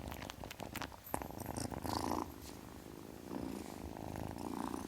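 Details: Kitten purring in a rough, rapid rumble, with soft clicking at the start and a louder, fuller purr phase around two seconds.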